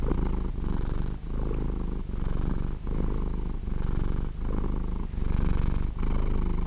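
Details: A cat purrs while sleeping, a low vibrating drone swelling and dipping in slower cycles of about one and a half seconds as it breathes in and out, close and uninterrupted.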